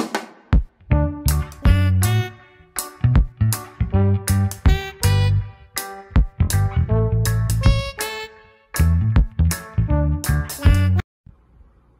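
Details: Punchy instrumental music with heavy bass drum and plucked guitar plays in stop-start bursts, ending in near silence, with no animal sound audible.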